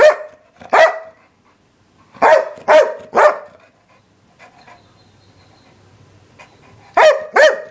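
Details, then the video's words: English Springer Spaniel producing loud barks in pairs and triplets, a quiet gap of several seconds in the middle, then two more barks close together. "Barking Springer"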